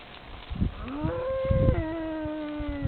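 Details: Cow in France drawn in by a man calling to cattle; one long tonal moo rises, holds steady, then steps down to a lower drawn-out tone, over low rumbling background noise.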